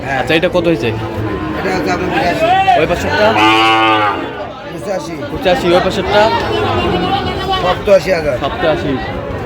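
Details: Sahiwal bull at a cattle market, bought by a farmer from Narayanganj on 30 January 2026; one long, deep, harmonic moo of about a second and a half rises out of constant crowd chatter and voices.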